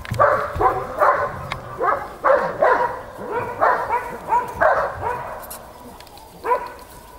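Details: Snowy romp of eight-week-old Belgian Malinois puppies: a run of short, high barks repeated more than twice a second for about five seconds, then a lone yap, over faint scuffling.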